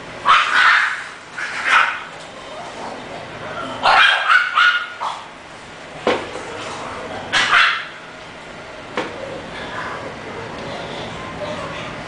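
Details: English bulldog, bred as a puppy for sale, giving several short loud barks in bursts near 0.5, 2, 4–5, 6 and 7.5 seconds, separated by quieter gaps with faint room noise.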